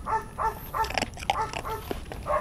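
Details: Warwolf, a Belgian Malinois in training, produces a steady series of about eight short, nasal whining yips roughly every third of a second, mixed with clicking and shuffling noises.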